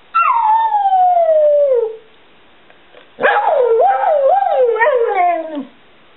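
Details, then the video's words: Asked whether he loves his mama, a 7-year-old male Border Collie mix 'sings' back: a long descending howl, then after a short pause a warbling, up-and-down yodel that trails off, in a quiet indoor setting. "Talking Dog"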